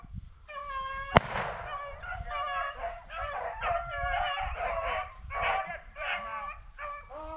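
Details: Pack of beagles in pursuit of a cottontail rabbit during a family hunt, hunters carrying 20 gauge shotguns; overlapping musical bays and yelps ring out almost continuously after a single loud gunshot, with faint human voices.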